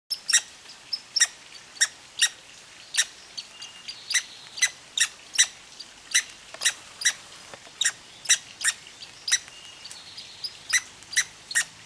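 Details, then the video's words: Red squirrel with hiccups, blamed on eating seeds too fast: short, sharp, clicky chirps with bright high overtones, repeated about every half second in a steady series, over quiet outdoor background hiss. "Squirrel With Hiccups"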